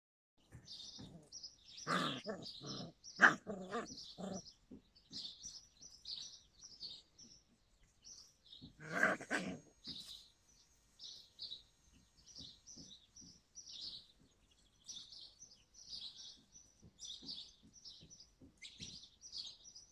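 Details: Yakutian Laika recorded in July 2020, giving a few short barks and yelps in bursts around two and nine seconds, against steady high chirping of birds throughout.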